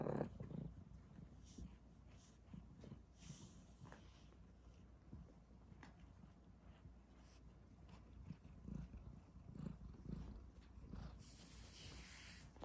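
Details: An F1 Bengal cat, half Asian leopard cat, playing with her F2 silver Bengal kittens, purrs in a low, steady rumble, with soft thumps and rustling mixed in.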